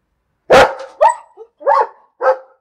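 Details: Dog barking loudly in a quick series: a harsh, explosive first bark followed by four shorter barks, roughly two per second, the last ones slightly softer.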